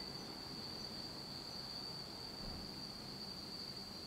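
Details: Insects singing on an autumn night in Japan, in total darkness: a steady, unbroken high-pitched trill holds one shrill note throughout, over a soft low rumble of background noise.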